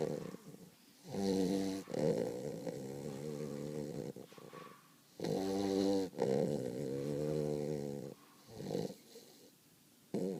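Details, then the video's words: Sleeping Weimaraner puppy Cody snores in uneven rattling bursts, some broken into quick stuttering pulses, with longer droning snores around the middle and faint breathy hiss between them in a quiet room. "Snoring dog"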